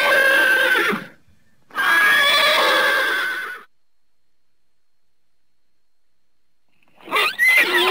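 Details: A horse whinnies in two long, rough, breathy bursts, followed by silence and then a brief sharp rising squeal at the end.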